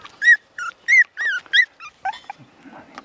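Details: Thirty-three-day-old male apricot Toy Poodle puppy in Nara, Japan, weighing about 780 g, makes a run of six or seven high, wavering whimpering yelps roughly every third of a second, fading into softer squeaks and rustling.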